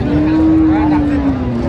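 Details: Cattle at a cow and calf market at Aftabganj in Dinajpur, with a long steady low moo held over background crowd murmur and noise.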